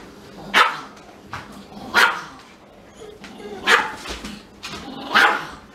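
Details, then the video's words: Indoor Siberian Husky crying and barking, kept from sniffing a small Pomeranian; four strong, sharp yelps spaced roughly one and a half seconds apart over a quiet room background. "Little Dog makes Big Dog CRY"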